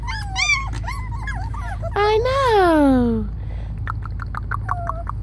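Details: Rescued Spaniel/Papillon mix pups from a kill shelter: quick wavering whines, then one long loud whine that slides steadily downward, followed by short sharp yips, with a low hum throughout.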